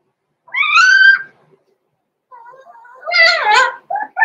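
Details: Six-week-old blenheim Cavalier King Charles Spaniel puppies, Roman and Blue, born November 14, 2022, in an indoor puppy pen: a drawn-out, high, harmonic whine, then a quieter wavering stretch and a second loud squealing cry, cut by short yelps.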